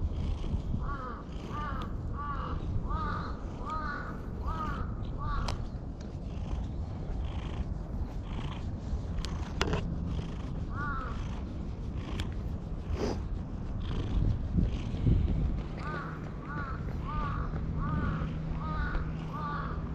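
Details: Black stray cat perched on a person's lap, pleading in cat talk: rapid runs of five or six short, arching meows at the start and again near the end, with a quieter pair midway, over constant low background rumble.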